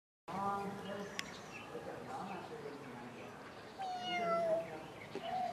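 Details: Cat at a zoo giving quiet, drawn-out meows: a soft call at the start and a longer, gently falling tonal meow near the end, with faint background murmur.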